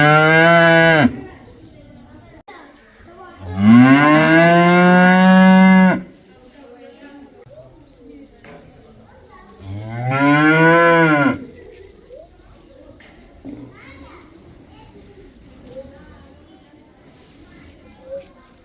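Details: Cow mooing: a brief low moo at the start, then two long drawn-out moos, each about two and a half seconds, rich and harmonic with a slight rise then fall, separated by quiet with faint background rustling.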